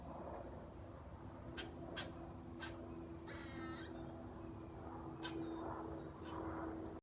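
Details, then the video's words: A squirrel eating a nut in a front yard tree gives short, sharp clicking chips in irregular bursts, with one brief harsh, buzzy squeak in the middle, against a low, constant hum. "Cute Squirrel Squeaking & Making Loud Sounds While Eating A Nut"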